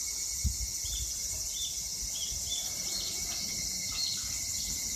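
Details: In Japan in summer 2021, evening cicadas (higurashi) sing high, bright pulsed notes repeated in quick succession, a shimmering trill, above a constant shrill insect hum. A few low thumps of handling or wind sit underneath.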